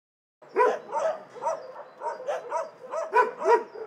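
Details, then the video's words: Several dogs barking in an animal shelter, overlapping sharp barks in a steady chorus of about two to three barks per second after a brief silent start, some higher yips mixed in. "Szczekające psy w schronisku"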